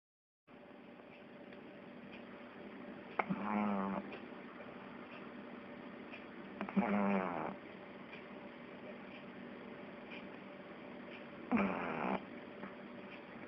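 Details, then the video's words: Pug asleep and snoring: three rasping, buzzy snorts about four seconds apart, each with a low rumbling drone, over a steady hiss of room noise between breaths. "Мопс храпит"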